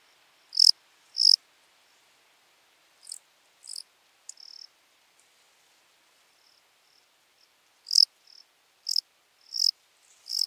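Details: Lesser field-cricket, Melanogryllus desertus, recorded at Breitenbrunn, Austria, on 23 May 2021; high shrill chirps in short bursts, irregularly spaced with gaps of several seconds, some faint softer trills between, clean quiet background.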